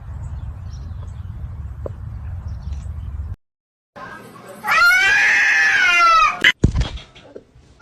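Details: Domestic cat from a funny cat compilation giving one loud, drawn-out meow that rises then falls in pitch, following a quiet stretch of low background hum and a short silence; a sharp click ends it.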